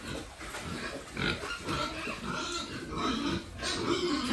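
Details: Several pigs raised for sale on a family farm give harsh, noisy grunts and short squeals that overlap almost without pause, with loud bursts near the start and again toward the end.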